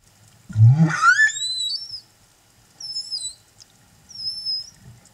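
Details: Humpback whale singing escort accompanying a mother and calf at Silver Bank, Dominican Republic, in April: a low grunt sweeping up into rising whistled harmonics, followed by two thin high whistled upsweeps, with faint low water rumble beneath.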